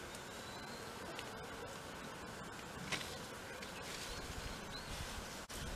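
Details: Japanese honey bees at a stacked-box hive while a box is added because the comb has grown longer; a steady dense buzz fills the whole clip, with a few sharp clicks and knocks of handling.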